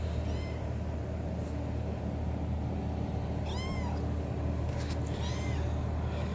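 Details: Kitten calling loudly to attract its owner: a faint short meow, then two strong, arched, harmonic-rich meows about 1.5 seconds apart, heard above a steady low droning hum.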